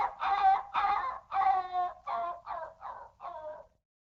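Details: Excited dog making a short series of eight drawn-out, whining yelps that grow shorter and quieter toward the end, then stop.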